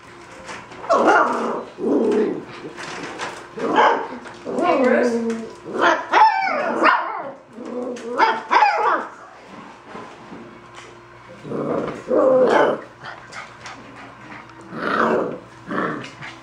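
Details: Golden Retriever puppies vying for the camera give short, high yips and whiny squeals in bursts, with people talking nearby.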